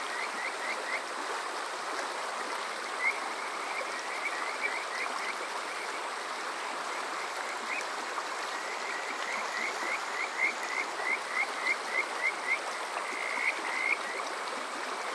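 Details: Kajika frog calling on a summer night at Water Park Shirayama, Yokoze, Chichibu, Saitama, Japan, recorded with a TASCAM DR-05X: short rising whistled notes in quickening runs, several per second, over a steady rushing stream.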